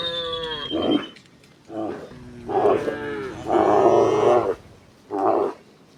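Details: Herd of tame cows heading to pasture in gentle morning sunlight: several overlapping moos, some hoarse and roaring, in bursts about a second long, with a falling high bird whistle at the start.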